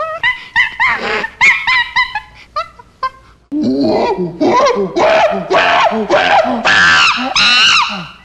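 Monkeys give a run of loud, shrill squeals and chattering screeches, rising and falling in quick bursts.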